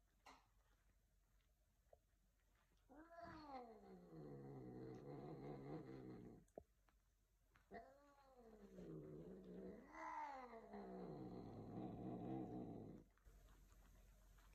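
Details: Bengal cats mating: long, wavering caterwauls that rise and fall.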